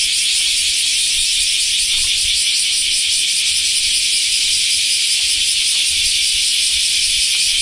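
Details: Continuous high, hissing buzz of common cicadas (semi) in a Japanese summer just after the rainy season, steady and loud throughout with no breaks.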